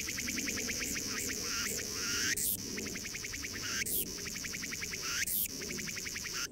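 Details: Cicada calling in rapid pulsed buzzes, the rattling trains broken by sharp broadband clicks about every one and a half seconds, above a constant low hum.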